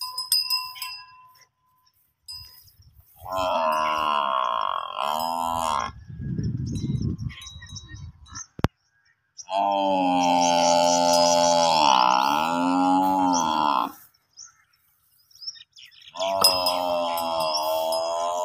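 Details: A baby water buffalo at a house cries to its mother for milk with long, wavering bawls, repeated three times, with a faint bell ringing behind.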